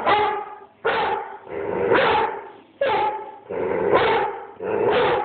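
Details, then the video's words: Bruno, an Airedale Terrier, barks at the person filming on an Android phone: loud, harsh barks in quick succession, some long and drawn out, roughly one burst every second with short pauses between. "BRUNO, THE AIRDALE BARKING AT MOI"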